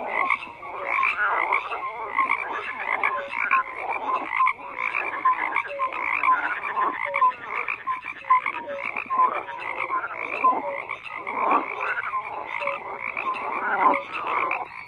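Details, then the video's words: Frogs croaking in a thick continuous chorus; rough croaks, trilled pulses and occasional short falling notes overlap throughout, with no other animals or noise. "FROGS CROAKING"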